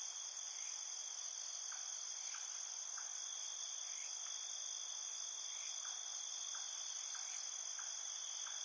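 Crickets trilling at night: a steady, high, shimmering chorus with faint scattered chirps underneath.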